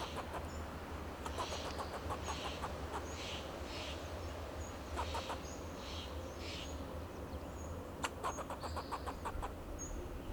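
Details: A fox squirrel in a Monterey pine in California's Del Monte Forest sounds the alarm to defend itself and its territory: short trains of rapid sharp ticks in two bursts, against steady low traffic-like rumble and occasional high bird notes.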